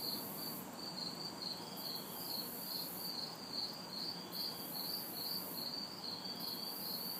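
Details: Backyard summer night in the city, hot and humid, with crickets and cicadas: continuous high-pitched chirps pulsing a little over twice per second, an on-off band of very high buzzing, and faint background traffic.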